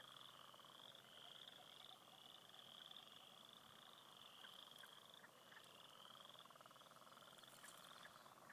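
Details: Spring frog chorus from a clear-water beaver pond: numerous frogs give continuous overlapping high trills in a steady rhythm, over a softer lower buzzing band, with occasional brief splashes or clicks.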